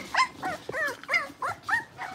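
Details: Blenheim Cavalier King Charles Spaniel puppies, born on New Year's, in a home puppy pen, giving a rapid series of short high yelps with downward-bending pitch, about four per second.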